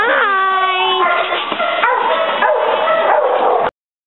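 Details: A male Border Collie up for adoption gives high, wavering whines with bright harmonics, the first drawn out for about a second, then shorter yelps, with other sounds mixed in before an abrupt cutoff.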